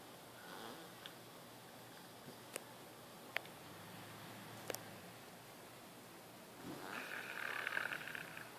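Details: Sleeping leopard Kiya, deaf and with breathing problems, snoring at a Spring Hill, Florida sanctuary; quiet rasping breaths with a few sharp clicks, then a stronger grating snore near the close.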